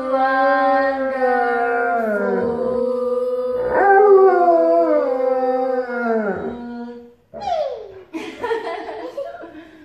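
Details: Pet Alaskan Malamute howling as a backing vocalist while its owners sing: long, sustained, harmonic-rich howls with slowly sliding pitch that drop away at their ends, then shorter, broken, falling sounds after about seven seconds.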